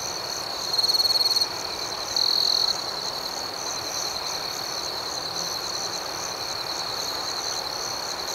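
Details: Nighttime cricket chorus, a continuous high-pitched trill, with two loud, buzzy chirp bursts near the start from a closer cricket before the even background hum resumes.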